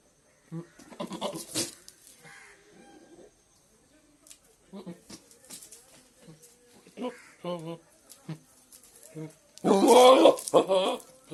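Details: A goat gives a loud, harsh, wavering bleat lasting about a second near the end, preceded by scattered short vocal sounds and human voices with light clicks and knocks.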